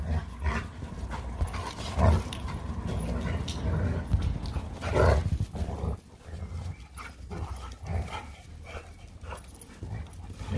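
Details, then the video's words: Leonberger and Labrador, Montana and Lola, wrestling in play; throaty growls and grunting bursts rise at about two and five seconds, followed by quieter panting and shuffling. "A LEONBERGER & LABRADOR PLAY FIGHTING"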